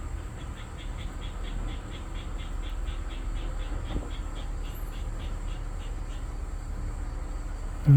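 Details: Korean native honey bees at a paulownia-wood box hive, colony growing and bringing in pollen; a dense, continuous low hum of many bees with faint rhythmic ticking higher up throughout.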